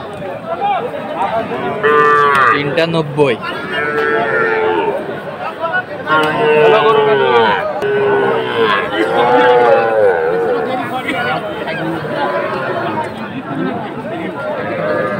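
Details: Young bulls and heifer calves at a livestock market in Manikganj, Bangladesh, on 30 November, with Sahiwal named among them; several drawn-out, nasal moos rise and fall over a constant murmur of human voices and bargaining.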